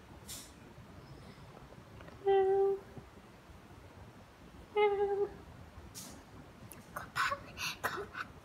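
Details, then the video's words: Domestic pet cat meowing twice, short level calls roughly two and a half seconds apart, followed by clicks, rustling and small knocks in a quiet indoor room. "What a pity cat poor cat It's a cute cat pet animal"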